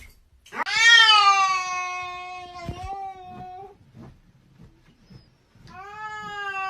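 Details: Domestic cat gives a long, loud, drawn-out yowling meow that sags slightly in pitch for about three seconds, a sharp click, then a second steady meow begins near the end; indoor quiet otherwise.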